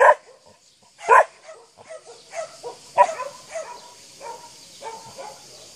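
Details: A 7-month-old Akita barks at a horse, giving a few loud, deep barks followed by softer, irregular yips and grumbles.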